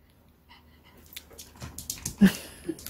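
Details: Pet dog playing ball indoors during a home exercise and play session, giving rough, noisy growling bursts that build in loudness toward the end, with faint household sounds in the background.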